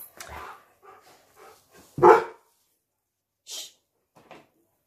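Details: Two standard poodles playing around their owner's feet indoors in a small room; one sharp, loud bark rings out midway, with the owner's soft talking before it and a few quieter scuffs and yips after.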